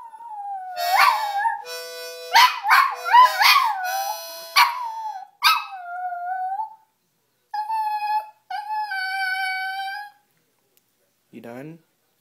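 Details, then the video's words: Pet dog singing along with a harmonica: drawn-out wavering howls that rise and fall over the first six seconds, then steady reedy harmonica notes, and a final short sliding whine at the end. "My dog sings with harmonica"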